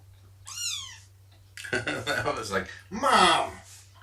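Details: Domestic cat during a morning nursing and play session with a mother cat and her kittens; one short high meow falls in pitch near the start, then a human voice talks over a second, harsher cry, with a steady low hum throughout.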